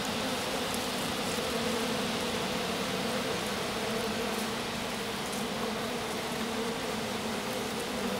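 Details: A handful of honey bees attending their queen in the grass after a swarm turned back to its hive; dense, even buzzing hum under a hissy wash of background noise.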